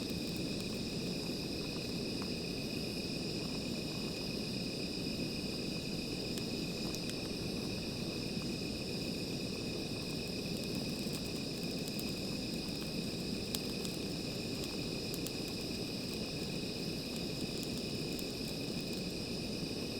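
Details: Insects at night near a small fire keep up a constant, high, ringing drone with no pauses, while low fire crackling and a few sharp snaps fill the background.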